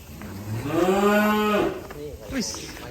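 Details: Cow at an Indonesian cattle farm, reported as having run off, gives one long, steady, low moo of about a second, rich in harmonics, followed by faint background noises.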